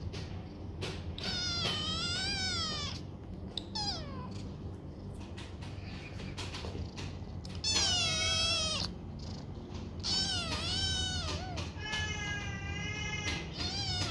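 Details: Six-plus foster kittens from two litters playing in a donated banana bed; shrill, strongly wavering meows call repeatedly, some long and drawn out, mixed with taps and scuffling sounds against a low background hum.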